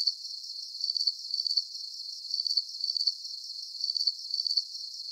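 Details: Crickets chirping at night for relaxation: high, thin pulsed chirps in short clusters of rapid beats, coming in uneven groups with brief gaps, steady and without other sounds.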